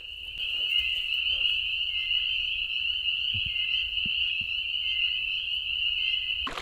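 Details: A dense chorus of spring peepers at a backcountry campsite in Algonquin Park in May 2024, heard at dusk under a pink sky and calling all night. Countless high piping peeps merge into one shrill, unbroken ring.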